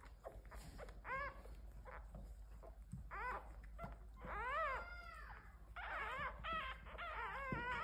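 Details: Several domesticated pet red foxes in a family group uttering quavering whines and arched, harmonic squeals that rise and fall, growing denser and louder toward the end, over a faint constant high tone.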